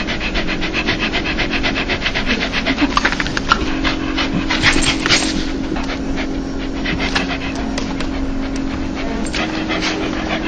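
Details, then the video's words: Joyful dog's panting, a soft breathy 'laugh' of rapid, fairly even huffs, partly blurred by a continuous low hum and some background rumble. "강아지웃음소리 강아지 행복할때나오는소리"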